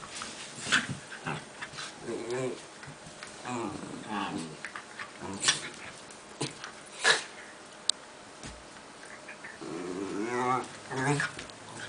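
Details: Two Italian greyhounds at play give rough, rasping growls and brief whines in bursts, with a person's voice now and then.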